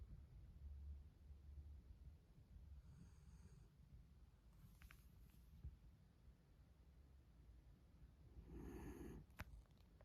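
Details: A sleeping mame Shiba Inu snores softly, with a few rough, breathy snorts over a quiet low rumble.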